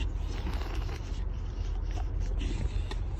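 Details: Low rumbling background noise with scattered scraping and handling sounds.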